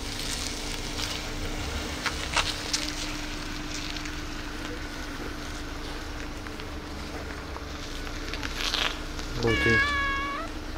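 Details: Tiny meow from a calico cat kept with a gray cat: a single short, wavering, harmonic meow near the end, after a long stretch of steady low hum, light rustling and clicks.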